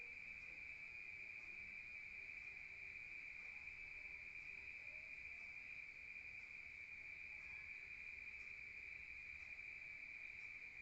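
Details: Crickets at night in a rural setting, one continuous piercing trill at a fixed high pitch running without interruption over faint background hiss.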